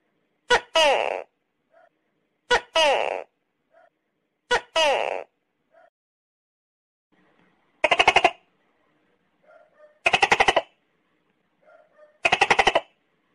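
A tokay gecko gives six loud, harsh calls about two seconds apart. The first three are throaty barks, and the last three are rapid buzzy rattles. Faint soft chirps fall between them.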